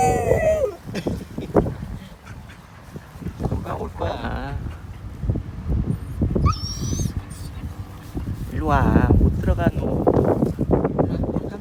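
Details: A Jindo dog gives wavering, moaning howls that rise and fall after his owner goes out to buy pet food, with a person talking nearby.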